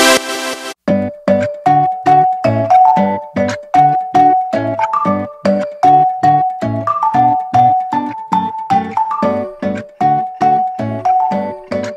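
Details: Bright tinkling music plays throughout, with a bouncy, repeated melody of plucked, bell-like notes and no animal sounds.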